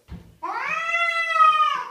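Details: Indoor house cat howling after causing a kitchen mess, said to howl for fifteen minutes; a brief low murmur, then one long, loud, drawn-out tonal howl that rises slightly and holds steady for over a second.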